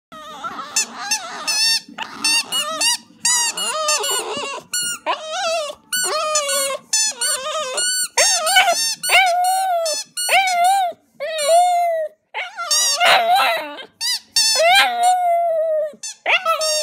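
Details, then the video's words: Male Border Terrier called Murphy singing a tune of his own making over a roast chicken; long run of high, squeaky, yodelling whines and yelps that rise and fall, tightly packed with brief breaks, a faint low hum beneath. "Murphy the Border Terrier sings"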